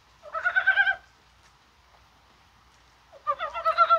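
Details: Rain-time calling of Korean brown frogs on 21 January, probably spawning: two close, loud rattling croaks of fast pulses, one at the start and one at the end, with near silence between.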